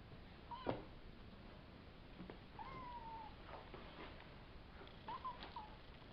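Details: Savannah kittens, a litter of three males and two females about five weeks old, giving several faint, short rising-then-falling meows spread through quiet indoor background hiss.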